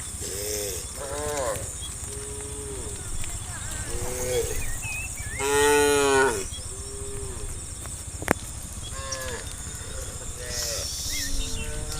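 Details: Herd of tame cows walking along a road to green rice fields in the morning: several overlapping moos, short and long, one loud drawn-out bellow near the middle, over a steady high hiss and a sharp click.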